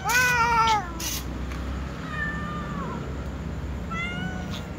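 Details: Cats, a tom cat and a white cat among others, meow to be fed: one loud falling meow opens, followed by softer wavering meows from other cats, with clicks and a low background hum.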